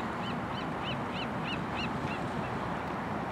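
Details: A southern sea otter, among fifteen floating and socializing at Elkhorn Slough, Moss Landing, California, on a cloudy afternoon at low tide on 16 February 2017, gives about eight short, high, arched squeaks, roughly three per second, over steady surf and wind.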